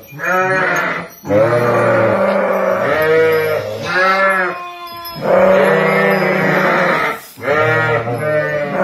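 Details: Ewes and lambs offered for sale at Kafr al-Labad near Tulkarm bleat loudly, wavering nasal calls lasting one to two seconds, repeated about every two seconds with brief gaps, several animals overlapping.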